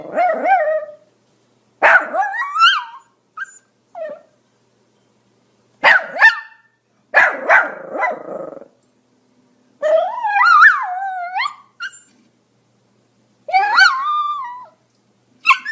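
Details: Pomeranian barking in uneven bursts: sharp high yaps and whiny, wavering barks in clusters separated by short pauses, some sliding up and down in pitch.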